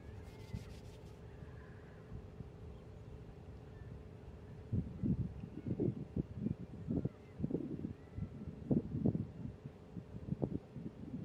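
A buffalo gives a run of short, deep grunts over a steady low hum.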